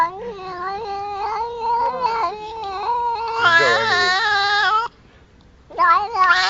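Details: Cat yowling in a sustained, wavering wail that swells louder and harsher, breaks off briefly, then resumes.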